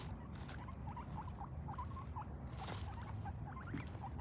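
Guinea pigs chutting: soft, short, repeated clucking notes that signal contentment.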